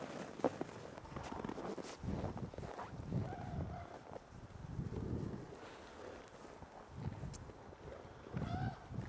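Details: Several ambassador gray wolves in a daily dominance interaction, December 2008: deep rumbling growls come in pulses, with short higher tonal whines at intervals, over scuffling and outdoor background.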